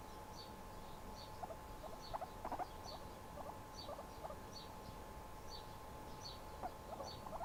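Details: Pet guinea pig relaxing while handled indoors, giving faint, short squeaky chirps in small clusters scattered through the recording, each note hooked and quick, over a steady electrical hum and soft room noise.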